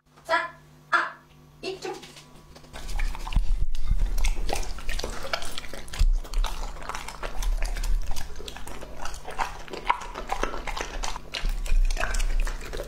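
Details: Lucky, a two-and-a-half-year-old male English-type Labrador Retriever, eats a meal indoors that includes beef Wellington, asparagus, purple sweet potato and onsen egg. Brief human speech opens, then dense irregular chewing, crunching and licking clicks continue throughout.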